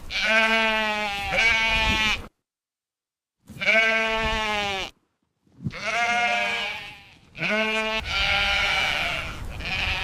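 A sheep bleats repeatedly, each call a drawn-out, quavering 'baa' with a rich, nasal tone. The bleats come in bursts of one to two seconds with brief silences between them.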